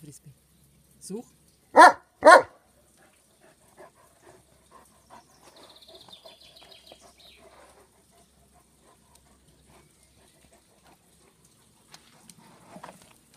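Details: German Shepherd dog digging and urged in German to speak and find its frisbee; two loud, sharp barks close together near the start, then faint scraping and rustling, with a brief soft noise near the end.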